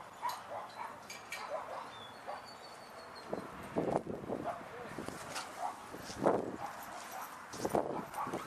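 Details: Barking at Sunset Dog Park, with lots of dogs present: irregular single woofs and quick double barks from a few animals, with a brief faint whistle-like tone early on and a soft murmur of voices in the background.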